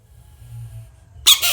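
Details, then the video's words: American bullfrog screaming: a sudden, loud, harsh burst of broad noise with faint harmonic streaks lasting about a third of a second, preceded by a quiet low hum. "Screaming frog crazy frog funny bullfrog sounds"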